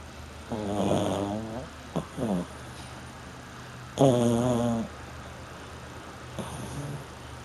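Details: French Bulldog snoring while asleep: rough, rattling snores in irregular bursts, a long one near the start, a short double snort, then a loud strong snore and a faint one, with steady low background hum.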